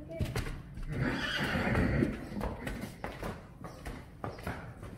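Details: Friesian horse from a Friesian horse herd, with mane braiding going on around it, gives one loud, rough, breathy neigh swelling and fading over about a second, amid sharp hoof knocks, clatter and human voices in an enclosed space.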